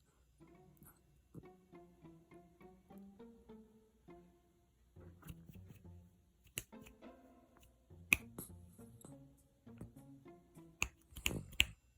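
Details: Plucked guitar notes with finger snaps and sharp clicks, with no animal voice heard.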